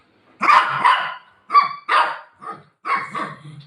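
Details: A golden retriever named Buzo barks while playing with its owner over a torn pillow. Four or five harsh, broadband barks sound roughly once a second, each short and unevenly spaced.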